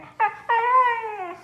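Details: A young Siberian Husky named Kira, complaining to her owner in a small room, gives a brief sharp yelping whine, then a longer drawn-out moaning whine that sags gradually in pitch. Spanish speech surrounds the vocalizing.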